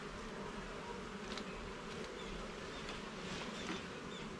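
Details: Honey bees humming inside a garden hive during an inspection: a dense, steady low drone with layered overtones that holds level throughout, and faint scraping from the handled frames.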